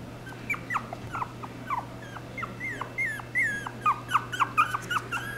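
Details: Chipoo, a Chihuahua and poodle cross dog, whimpering in a rapid run of short, high whines that rise and fall. The notes come several per second and grow denser toward the end, over a steady low hum.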